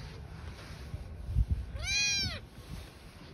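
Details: Meow from a mother cat and newborn kittens living on the street: a single clear, high-pitched meow about half a second long, arching up and down, over low rumbling background noise.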